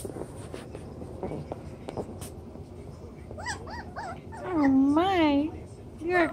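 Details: Chocolate brown Toy Poodle puppies, seven weeks old, playing in their newly doubled pen: a few short arching whimpers, then a long wavering whine and a final brief yelp, over low indoor chatter and rustling.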